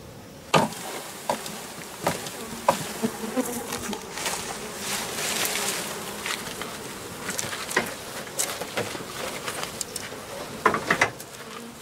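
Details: Japanese honey bees swarming from an overwintered home colony and being taken into a hive. Faint, steady hum of bees under repeated sharp knocks and handling clatter throughout.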